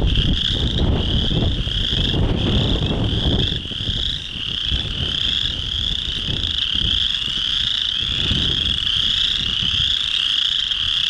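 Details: Chorus frog males in early spring, singing at a breeding pond to attract females; a continuous high trilling chorus throughout, accompanied by heavy low rumbling wind buffeting and thumps, strongest in the first four seconds.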